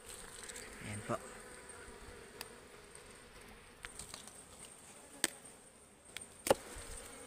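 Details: Swarm of wild honeybees (ligwan) buzzing during forest harvest of their hive, a steady low droning hum with scattered sharp clicks and knocks, and a brief murmur of voices nearby.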